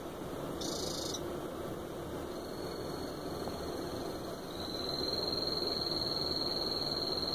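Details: Male Ranitomeya vanzolini, EU line, calling for a female: a short buzzy high-pitched burst, then a long steady high trill that grows louder toward the end, over a constant low background hum.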